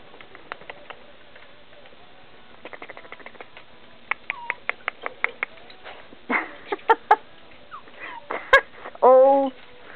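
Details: Five-week-old Chinese Crested puppies getting into mischief: brief high squeaks, then a short harmonic whimpering yelp near the end, over a run of sharp clicks and taps, with a person's voice nearby.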